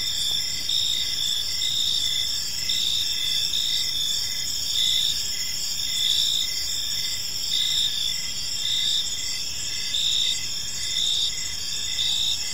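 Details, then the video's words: Crickets in a serene park at evening, a dense high-pitched chorus with regularly spaced short chirps layered over a constant ringing trill and faint low-frequency noise. "Park Serenade: Cricket Sounds in a Peaceful Park"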